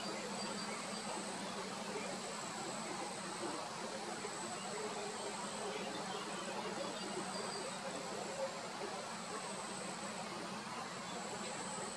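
Only a steady, hissing background rumble like distant traffic or rushing water is heard, with no clear animal calls.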